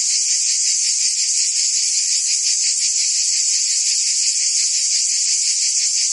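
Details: In Provence, France, summer cicadas sing together: constant piercing buzz, finely pulsed, loud and even throughout, with a faint soft tick near the end.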